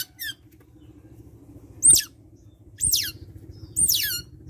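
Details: A pet otter pup at bath time repeats shrill, falling squeaks roughly once a second, with a faint low hum behind.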